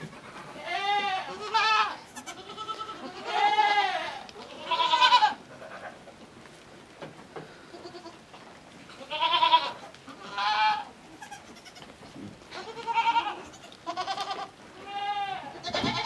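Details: Small newborn miniature goat kid on a farm, walked over to suckle her mother, who accepted her only after several days; repeated nasal, quavering bleats every one to two seconds, separated by short quiet gaps.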